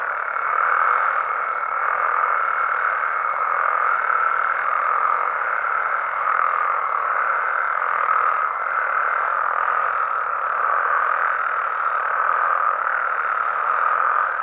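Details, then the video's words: Mexican frogs and toads at night keep up a thick, constant chorus, overlapping trills blending into a single mid-pitched hum, with a faint thin steady tone in the background during the first ten seconds. "Mexican Frogs & Toads Sounds"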